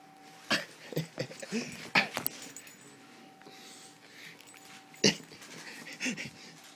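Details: Rhodesian Ridgeback Sam at play, mouthing an arm at work: wheezy, snorting breaths and short grunting bursts come in uneven clusters, loudest near the start and again later, with a faint steady hum indoors.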